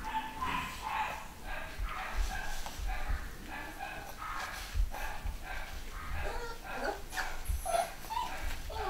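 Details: Litter of home-bred 3/4 Schnauzer puppies, boys and girls, at a UK breeder in 2015, giving a steady string of short, high yips and whimpers, several per second, over a low rumbling room background.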